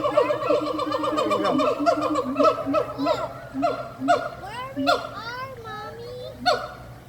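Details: Monkey making weird noises: dense, rapid chattering of squeaky descending trills and chirps, rich in overtones, giving way to sparser sharp squeals and a drawn-out wavering whistle near the end.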